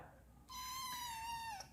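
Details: Domestic cat, just woken up, grumbling with one drawn-out meow of about a second, steady and tonal, sliding slightly downward at the end, while a man softly asks in Thai what it wants.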